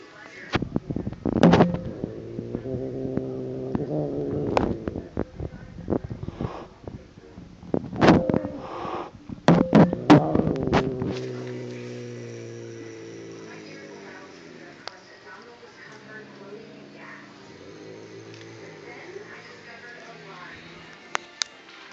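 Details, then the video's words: Molly, a fat pet cat, angry at a kitten called Buddy; a low rumbling growl with rising and falling harmonic tones, broken by sharp clatter and thumps, fading into a long drawn-out low moan. "fat cat angry at kitten."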